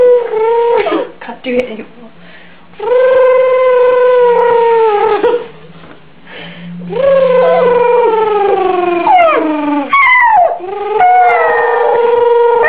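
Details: Pet Yorkshire Terrier named Benji howls at home, drawn-out wavering wails that sag in pitch, separated by quieter pauses with faint whimpering; a low background hum runs through the room.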